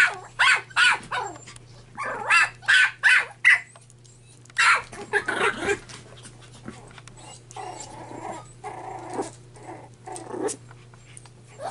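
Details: Playful red puppy Tim fires off a rapid run of sharp, bright yaps, about eight in the first few seconds, pauses, then adds rougher barks and growly noises against a constant low electrical hum.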